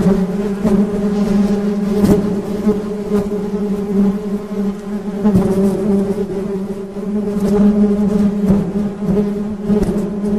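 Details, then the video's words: Continuous low drone of honey bees, the hum holding steady with stacked overtones and gentle rises and dips in volume, a few sharp taps heard. "Suara Tawon Madu"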